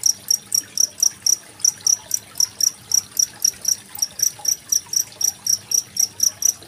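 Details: Cricket recorded 25 February 2023, used as master sound for training competition songbirds such as magpie-robins: short, bright, high chirps repeated about four times a second in a steady pulse, over faint trickling water.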